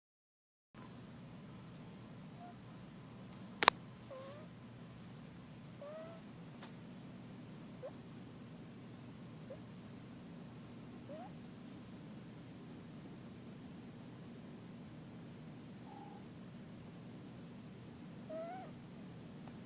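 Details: Sleeping female kitten named Pumpkin purring and snoring: a soft, steady low rumbling hum running throughout, quiet overall, with a sharp click early on and a few faint short chirping sounds in the background.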